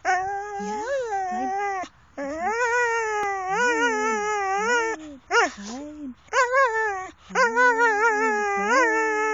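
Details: Jonas, a dog, howling in long tonal wavering calls that rise and fall, several drawn-out howls separated by brief gaps, with shorter yelping notes around six seconds; no other sounds intrude.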